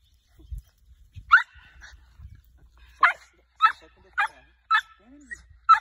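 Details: Dog being trained to hunt tegu lizards, giving short sharp yapping barks in a loose series roughly every half second, after a man's low urging voice and faint rustling.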